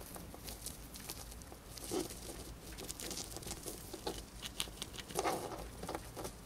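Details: Pet female hamster eating a piece of dried corn, gnawing quickly: dry, crisp crunching clicks in irregular bursts, with a few louder bites near the second and fifth seconds over a soft background hiss.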